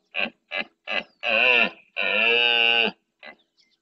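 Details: Rutting red deer stag with his harem of hinds and young in Doñana's marshland, Andalusia, Spain, at daybreak, claiming territory against rival males: three short grunts, then two drawn-out, throaty roars and a faint final grunt.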